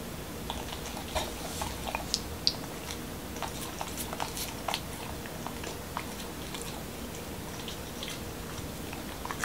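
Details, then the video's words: Indoor ASMR meal for Momo, a Corgi in Washington DC, chewing a dog-friendly taco with cucumber and ground beef: scattered sharp crunches and smacking bites, uneven in timing, against a steady background hiss. "Dog Eating Tacos| Dog Food Reviews |Corgi Mukbang"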